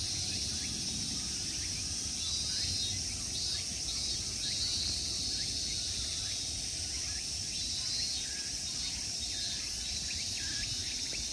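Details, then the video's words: Summer in Tokyo's Ikegami Honmonji temple park, Japan: a continuous, intense high-pitched insect buzz holds throughout, overlaid with brief rising chirps and soft low background noise. "Summer insect sounds."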